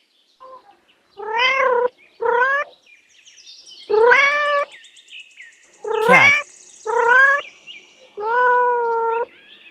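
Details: Kitten meowing: six drawn-out, harmonic mews with rising-then-falling pitch, spaced about one to two seconds apart, some with a slight wavering tail; faint background sounds between calls.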